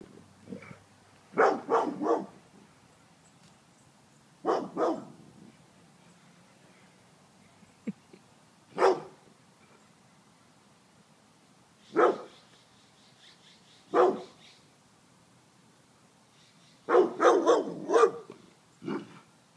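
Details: Agitated dog barking like crazy, loud harsh barks in bursts of two to four, about eight bursts spread over the stretch with quiet pauses between, then a person calling no, no, no.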